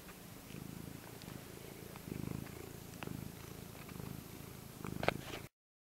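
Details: A pet cat purring steadily, a low rhythmic rumble in regular pulses that swell and fade in breaths, with a few soft clicks and a brief louder rustle near the end.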